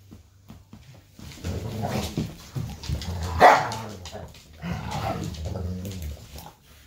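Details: A Golden retriever family plays indoors at evening while the mother corrects puppies trying to nurse; rolling growls build to one sharp bark midway, then more throaty grumbling.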